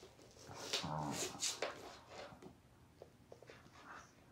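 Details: Thai Bangkaew Dog mother and puppy indoors, mother teaching the young dog: a brief rough growling bark with a whine, followed by faint soft clicks and quieter whimpers in a small room.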